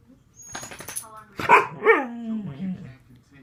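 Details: Indoor pet dog, bothered that another dog wants onto the bed, gives a brief sharp yelp and then a sliding, falling grumble that fades into a low moan after some soft background chatter.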